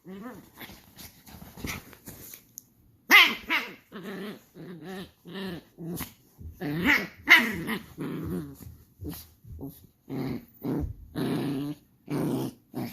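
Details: Shiba Inu puppy, angry and increasingly showing its emotions, makes a steady series of rough growling barks and grumbles, about fourteen bursts a minute, with a person's voice faintly heard at the start.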